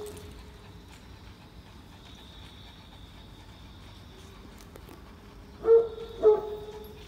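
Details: Great Pyrenees, a very large dog breed, on a rainy morning walk at Oyama Yuen Harvest Walk; two short, tonal, whine-like yelps land near the end about half a second apart, over a faint steady hum.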